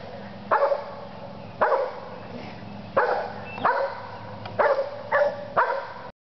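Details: Dog barking, with Stevie and Zoey named alongside; seven sharp, harsh barks over about six seconds, some single and some in quick pairs, each with a rough mid-pitched tone, over a steady low background hum.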